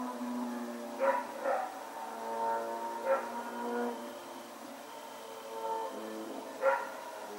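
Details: Night barking from Rex the dog on Sep 21, 2018, while running about: a quick double bark, then isolated barks, four in total, set against a sustained tonal drone resembling engine or music.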